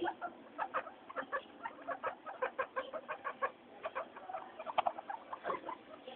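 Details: Pet guinea pigs, noisy at weekly floor time, give soft, evenly spaced short chirps, several each second. A slightly brighter squeak stands out near the five-second mark.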